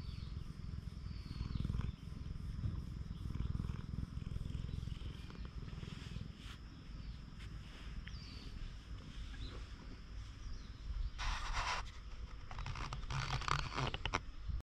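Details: Stray cat on a Japanese cat island purring as it is petted, filmed with a GoPro HERO8; a low continuous rumble runs under the clip, with loud rustling and handling noise toward the end.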